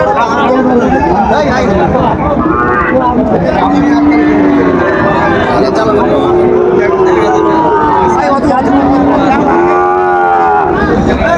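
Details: Sahiwal bull calves for sale at Raniganj livestock market, 5 September 2024; several long, wavering moos with rising and falling harmonics recur through the clip, over constant crowd noise and haggling voices.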